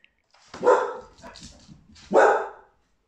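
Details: A male English bull terrier gives two loud, harsh barks about a second and a half apart, guarding his home.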